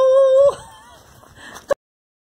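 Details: Dog waiting for birthday treats gives a loud, high whine: a steady held note for half a second, then a softer wavering tone that drifts lower, ending with one short sharp yelp.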